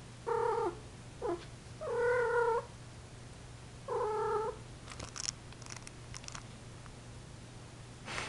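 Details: Indoor female Persian cat still in heat, making four moaning mews, the third longest and strongest, one short bent call between, followed by rustling and clicking handling noises over a faint hum.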